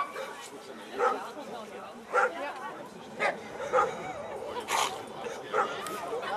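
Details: Eleven-year-old American Staffordshire Terrier at a VPG protection dog demonstration in Germany, giving single loud barks about once a second over steady crowd noise and a loudspeaker voice.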